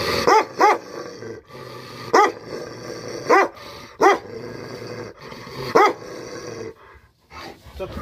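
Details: Tibetan Mastiff barking during attack training in the Himalayas: loud, deep single and paired barks every second or so, separated by low rumbling, with quieter gaps near the end.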